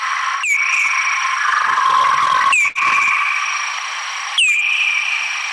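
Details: Replayed bat echolocation call, converted to audible sound, as the animal searches for food: three sharp downward-curving chirps that level into a tone, spaced roughly two seconds apart, over a constant droning hum.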